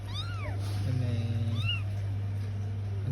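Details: Bengal kittens giving two short, arched mews with a brief low purring buzz between them, over a steady low hum.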